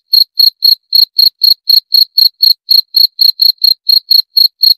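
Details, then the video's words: Cricket chirping steadily, about four short, clean, high-pitched chirps per second with a faint higher overtone, over a silent background. "40 Menit Suara Jangkrik - 40 Minutes Cricket Sound Effect"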